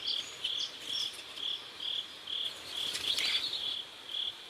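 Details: Sunset chorus of crickets by a river in South Korea: bright, high chirps pulsing about twice a second in a fairly even beat, one louder crackling burst near the end.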